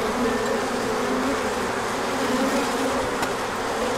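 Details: Crowd of bees flying an orientation flight once the sun came out after chilly days, March 2024; even, humming buzz of many wings, tones rising and falling as bees pass, one brief tick near the end.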